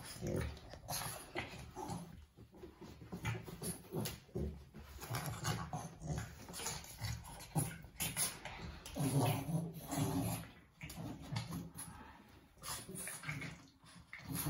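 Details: A pair of Boston Terriers in a fight: continuous low, rumbling growls with snorting, pig-like grunts, rising into louder snarling bursts around the middle, with scuffling throughout.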